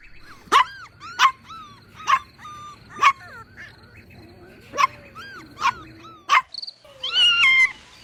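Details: Puppies drinking milk on a lush green meadow give high, yelping barks with bending pitch, about one per second, then a longer drawn-out whine at the end.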